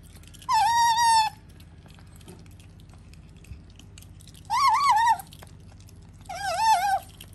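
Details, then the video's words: {'caption': 'Sakura, a female pet otter kept indoors with a cat, gives three wavering, warbled squealing calls, each under a second long with a quavering pitch, separated by quiet gaps in a small room.'} "話せるようになり人語を理解し始めたカワウソ otter who has become able to speak and has begun to understand human language"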